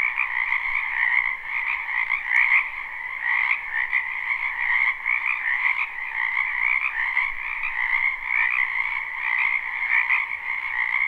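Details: Many frogs croaking together in a spring wetland behind a house, recorded live without looping: a dense, continuous trilling chorus with bands at two pitches, pulsing irregularly, no other sounds standing out.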